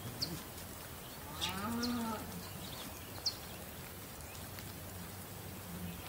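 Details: A single short bull moo, rising then falling in pitch, stands out against a noisy background with a few sharp high bird chirps.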